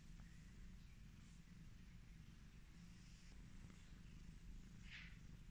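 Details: Affectionate domestic cat purring while being petted: a steady, low, continuous rumble throughout, with faint brief rustles and soft handling noises above it.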